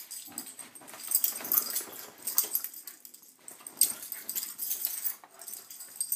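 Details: Two corgis scuffle in a morning brawl on a bed, with raspy growls, snorts and wheezy huffs in irregular noisy bursts; Corgi (Canis familiaris), growls.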